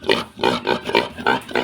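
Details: Young domestic pig kept in an enclosure, making a noisy commotion: six short, harsh, nasal grunting squeals in quick succession, roughly one every quarter second, each a brief rough burst with no other clear sounds.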